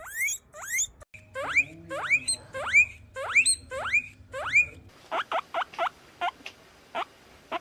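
A guinea pig gives a run of sharp, rising squeaks, then shorter clipped ones.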